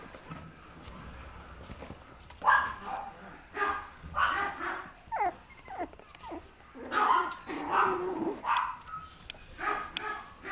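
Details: Papillon puppy, a young female, giving a run of short yapping yips and whimpers in bursts through the recording, with some soft squeaky whines between them.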